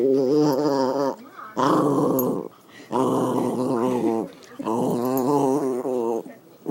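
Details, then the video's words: A pet dog making pleased noises while being petted indoors. Four long, wavering, moaning growls with rich harmonics last about one second each, separated by short quiet gaps. "Dog makes noise when pet"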